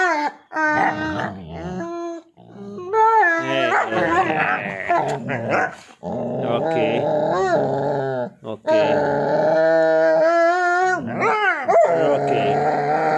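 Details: Husky pestering a pitbull in play: loud, drawn-out howling vocalizations with wavering, bending pitch, broken by short gaps, mixed with growl-like grumbles; close and continuous.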